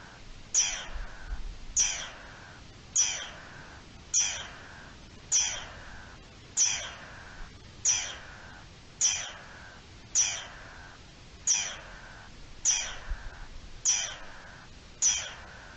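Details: Garden dormouse alarm call recorded 3 April 2021: harsh, descending rasping notes repeated steadily about every 1.2 seconds, each a sharp downward-sweeping squawk, over a quiet background.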